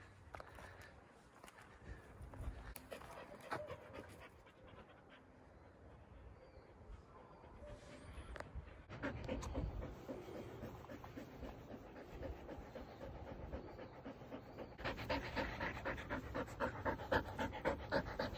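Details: Border Collies play with sticks in a forest. Fast, regular panting at about four breaths a second grows louder toward the end, with a man calling the dog, rustling undergrowth and snapping twigs.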